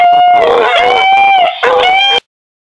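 A beagle gives a drawn-out, ringing bay that holds steady, breaks briefly, then resumes.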